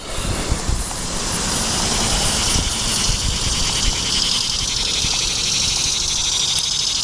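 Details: Annual cicadas at their late-summer peak in Odessa, Delaware, on 26 September 2019 fill the air with a steady, high buzzing chorus over a low traffic-like rumble.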